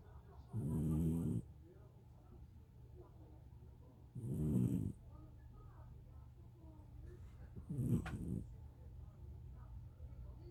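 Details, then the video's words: A sleeping cat snoring, three loud gravelly low snores spaced roughly three and a half seconds apart, each ending in a soft hiss, with near silence between breaths. "고양이 코골이"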